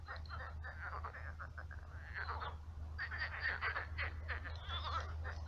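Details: Frogs calling at night in a shallow marshy pond; overlapping rattling croaks in repeated bursts over a strong steady low-pitched hum.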